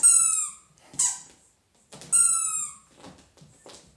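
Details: A happy Dachshund gives two high, clear, squeaky whines. Each lasts about half a second and falls slightly in pitch. Short, softer squeaks and faint rustling come in between.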